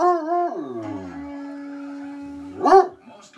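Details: A Treeing Walker Coonhound sings along with the TV, giving a wavering, tuneful howl and then a brief rising-and-falling yowl.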